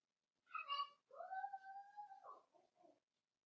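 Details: Indoors in a home puppy pen, a four-week-old Cavalier King Charles Spaniel pup gives a brief yelp, then one long, steady, thin whine lasting about a second. It ends in a wobbling drop and a soft trailing whimper.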